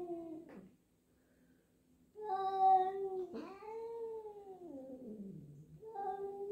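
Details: Jill, a black cat, uneasy at a newly introduced black-and-white cat at home; low drawn meows, one held note then a long rising-and-falling wail sinking lower, with a brief click between calls.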